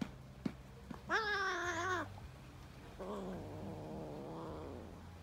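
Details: Kittens play-fighting; a loud, strained meow with rich harmonics about one second long, then a softer, wavering, lower-pitched meow, with faint taps and a background hum.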